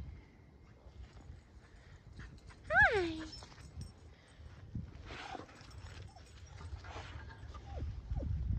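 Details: Keeshond dog, male, excited at a cat in a neighbour's yard; one sharp high whine sliding downward, with a person's coaxing voice and soft rustling around it.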